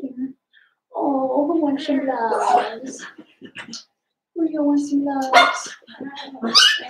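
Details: Blenheim Cavalier King Charles Spaniel puppies, seven weeks old, one of a litter of five in a home puppy pen, utter long wavering whines and howl-like cries in two bouts, with sharper squeals rising at the end.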